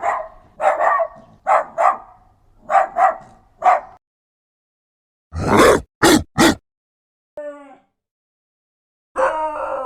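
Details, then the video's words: Dog barking, about six short harmonic barks in quick succession over four seconds, followed by sharp clicking noise bursts, a brief steady tone and a final rougher bark. "Звуци на животни. Куче. Кучешки лай /Sounds. Dog. Sounds of animals. Dog's bark"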